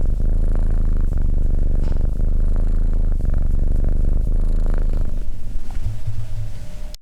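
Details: Continuous low, throbbing cat purr for about five seconds, then quieter and more uneven rumbling, ending with a sharp click.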